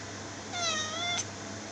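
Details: A cat gives one clear drawn-out meow, under a second long, with a low steady hum behind it.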